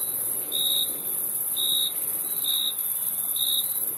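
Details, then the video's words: Four slow, evenly spaced cricket chirps, each a short pure high tone, ring out above a steady very high insect buzz. "Crickets Chirping Sound"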